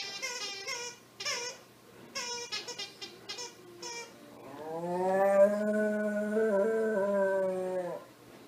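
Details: Pet dog making a funny cow-like moo: one long, drawn-out, steady harmonic call lasting about three seconds and rising slightly at the start, preceded by several short voiced bursts.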